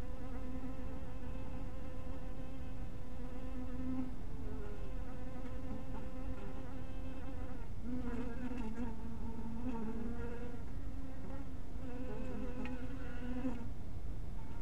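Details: Twilight at a small honey bee house: a steady low drone of flying bees with ringing overtones, growing louder and more wavering from about eight seconds and again near thirteen seconds as bees approach.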